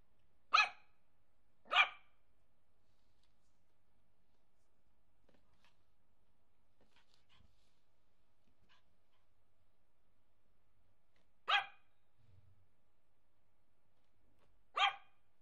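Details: Nervous Yorkshire Terrier puppy barking indoors: four sharp, high yaps, a pair close together at the start, then a long quiet gap before two more single yaps near the end.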